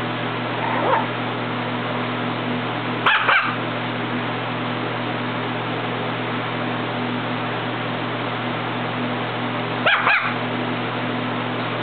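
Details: Marleigh, a dog playing on a bed, gives three short, sharp barks spaced far apart, around one, three and ten seconds in, against a constant low electrical hum and steady hiss.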